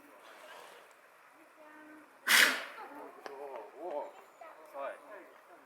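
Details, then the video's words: An eastern black rhinoceros at Yokohama City Kanazawa Zoo gives one sudden, explosive, hissing sneeze while people chat nearby. "ヒガシクロサイ、ロンのクシャミ🤧Eastern Black Rhinoceros, Ron's Sneeze 🤧"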